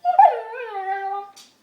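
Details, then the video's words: Pet dog, a female, making her 'talking' sound while chewing, a favourite habit, recorded on a phone; one drawn-out, howl-like whine that starts with a sharp rise, then slides slowly downward and fades, followed by a short breathy sound. "the talking dog"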